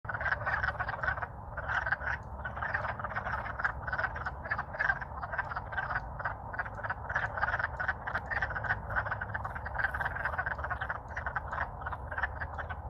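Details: Many wild wood frogs calling loudly in spring in Alaska, courting after thawing out from winter freezing; a dense chorus of short, clucking, duck-like croaks repeated rapidly and overlapping throughout, with a low rumble beneath.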